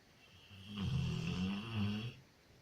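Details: A sleeping female Labrador retriever named Loya gives one drawn-out snore of a little under two seconds. It is deep and rumbling with a slight rasp and swells twice before fading.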